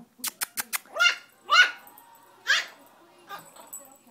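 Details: Chiweenie dog Milo barking at his owner indoors after being left behind on the sofa; after a few sharp clicks come three short, high yelping barks with falling pitch, spaced about half a second to a second apart, with a person calling his name.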